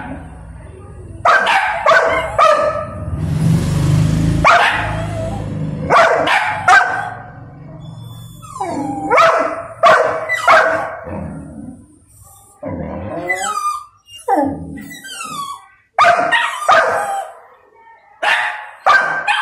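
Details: Angry little Golden Retriever throwing a tantrum at being kept from his food: bursts of loud barks and yips, with whining slides and a brief gap of quiet between volleys.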